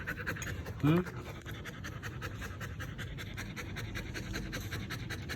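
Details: Belgian Malinois named Siri panting steadily in quick, breathy rhythmic puffs while being scolded for chewing a pipe; a short human voice cuts in near the start, then the even huffing continues underneath.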